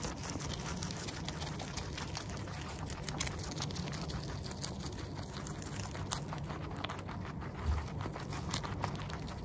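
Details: Guinea pig eating with the microphone near its mouth: quick dry crunching ticks in steady succession, a couple of slightly louder snaps, all over a soft low drone.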